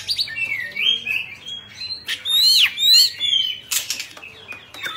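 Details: Kept Oriental magpie-robin of the Bạch Bạng type singing during a tail-fanning dance: clear whistles and sharply arched slurred notes, broken by loud brief rasping or fluttering bursts.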